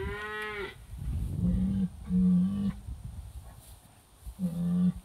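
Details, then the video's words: British White cattle, a herd riled up over an old cow hide on a hay ring while being moved through a trap area in July 2013, recorded by phone: a higher bawl, then several low steady moos, some overlapping. "British White Cow Herd Finds the Hide"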